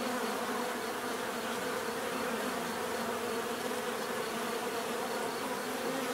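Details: Continuous droning of many bees, a rich layered buzz that stays constant in loudness and pitch throughout, with no other sounds breaking through.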